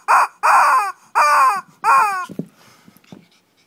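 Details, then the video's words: Kochi, Japan Shih Tzu in a little fight: four loud, drawn-out whining yelps with falling tones, then soft scuffling and snuffling. "Shih Tzu kochi japan new [mini] fight !"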